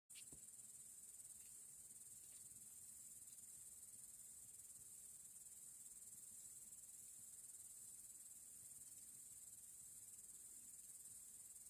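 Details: Crickets chirping by a campfire on a warm August evening at the close of the Ural velvet season; a steady, high-pitched shimmering trill runs unbroken throughout, quiet and even, with a faint click near the start.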